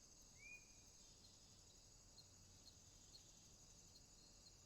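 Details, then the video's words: A swamp at night filled with a constant high cricket trill, faintly pulsed, with a single short upward-sliding whistle early on and soft low rumble underneath. "Night Ambient Sounds, Crickets, swamp sounds at night"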